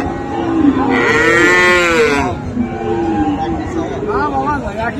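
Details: At Raniganj cattle market, Dinajpur, 7 November 2024, among Friesian and crossbred bull calves: one loud, arching moo swells and fades over about a second, followed by lower lowing and background voices of the crowd.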